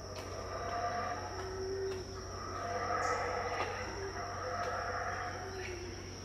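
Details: Unseen howler monkeys at Tikal, Guatemala, about 6am in 2018, give far-off rasping roars in repeated surges across the clip, layered over a constant high insect drone and low background hum.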